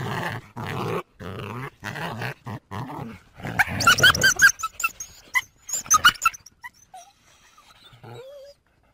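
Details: North American coyote opens with a run of rough, growly barks in quick succession, then climbs into high, quavering yips and short squealing cries that fade out near the end.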